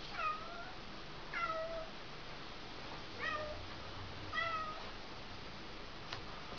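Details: Two Bengal cats playing indoors in their exercise wheel; four short, plaintive meows, each dipping then levelling, spaced roughly one to one and a half seconds apart, over a quiet room hum with a single click near the end.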